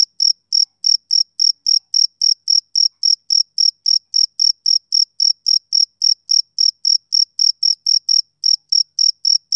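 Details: Steady, evenly spaced high chirps from a male cricket on a summer evening, close to four per second without a break, clean background.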